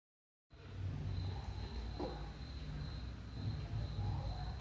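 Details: Belinha, a pet dog, snoring while asleep and dreaming: a continuous low, rough rumble of breathing after a brief silence, with a faint steady high tone in the background.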